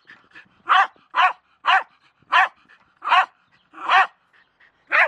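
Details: Jack Russell Terrier named Milo, playing with a shovel, gives sharp, punchy barks in a quick series, roughly eight barks in five seconds, spaced about half a second apart, with quiet gaps between them.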